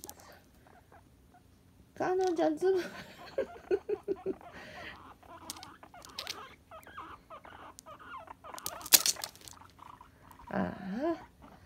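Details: Two female pet guinea pigs living together indoors, playful short-haired Tink born February 2018 and calm long-haired Kanon born January 2018; one wants to play, the other does not. A wavering harmonic squeal, scattered short calls, scuffling, and a rising whine near the end.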